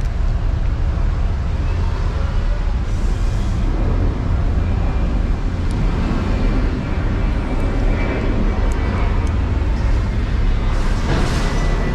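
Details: Steady rumbling road traffic dominates, heavy in the low end, with passing vehicles and faint background voices and no animal calls.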